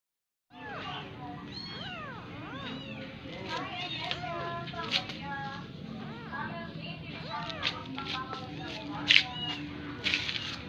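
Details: Persian kitten nursing from a cat that is not its mother; many short, high, arched mewing calls repeated about once a second, some overlapping as if from several kittens, with low background hum.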